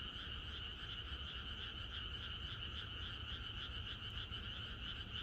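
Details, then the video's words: Countryside frogs massed in chorus the night before rain, their overlapping croaks merging into a fast, steady, pulsating trill with mid and high layers. "비가 오려나?이것이 자연의 소리 ~개구리들의 합창"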